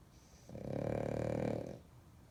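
A French Bulldog gives one long, rumbling snore lasting about a second.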